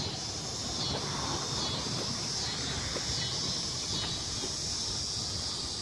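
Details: Crickets in a loud, continuous high trill that pulses slightly in strength without pause for the whole stretch, against soft low-pitched background noise.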